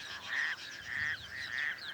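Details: A male toad hidden in reeds in a small dam on the outskirts of Cape Town calls to attract a female during breeding, in a steady series of short, nasal, buzzy notes, each under a second long.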